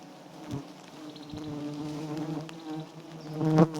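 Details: Droning of wild giant honey bees at a small white nest with abundant honey, a low even buzz with clear harmonics that rises in loudness toward the end, with a few knocks.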